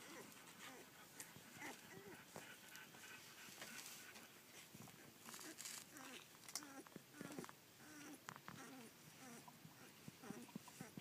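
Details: Collie puppies aged one day and fourteen days, filmed on 1 June 2013, making faint, scattered short squeaky whimpers and small rising cries over steady rustling and handling noise.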